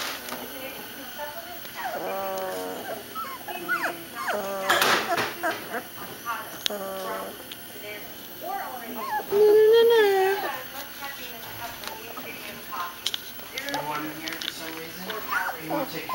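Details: A litter of young puppies whining: many overlapping high, wavering whimpers and short yips, one longer rising-falling whine standing out, with a person talking softly to them throughout.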